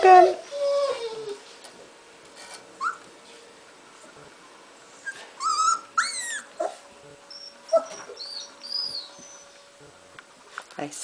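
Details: Three-week-old golden retriever puppies moving about in their pen give short, high whimpers and squeaky yips in scattered bursts, some rising and falling, while a woman talks to them softly now and then.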